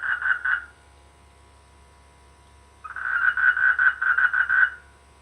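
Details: Rainy-season frogs in village rice fields croak in pulsed bursts: a short run of three rapid notes, a pause, then a longer string of about ten quick, even croaks lasting nearly two seconds.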